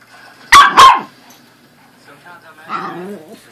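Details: Two pet dogs, a corgi and a Pomeranian, at play: a rapid double bark, loud and harsh, followed by quiet and then a softer voiced murmur near the end.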